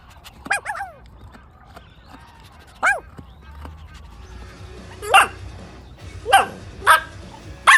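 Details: Puppies competing for toys outdoors on green grass, letting out short, high yips that drop in pitch, heard singly and in pairs over a low background hum.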